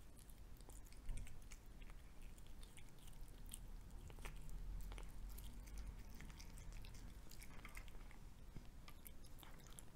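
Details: Pet cat chewing a fried egg in a small room. Soft wet mastication and a few louder crunchy bites sound near the start and middle, with a faint low background rumble.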